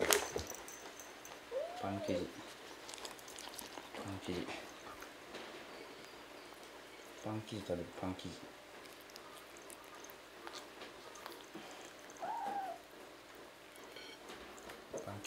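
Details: Indoors, a kitten that mistook a roll cake for a treat and tasted it lets out a few brief, arched mews, rising then falling, spaced several seconds apart over soft room noise and low voices.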